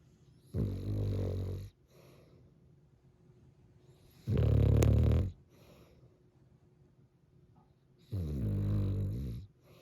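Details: Cavalier King Charles Spaniel napping indoors on a 20-degree snowstorm day in the mountains, deep low snores in three long rasping bursts, each about a second long, with quiet breathing between them.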